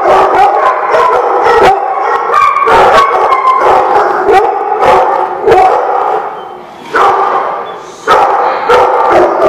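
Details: Dogs at The Barking Lot on 30 January 2017 keep up a dense chorus of overlapping barks and yips mixed with wavering howls, pausing briefly near seven seconds and again near eight.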